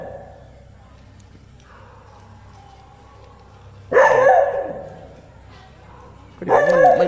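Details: Temple dog at Wat Yanak barks repeatedly at something unseen. Faint voices come first, then two loud, rough barks roughly two and a half seconds apart, with a low background hum.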